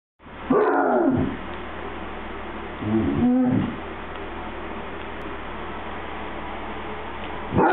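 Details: A happy Basset Hound gives drawn-out, wavering moans and yowls, as if trying to tell its owner something.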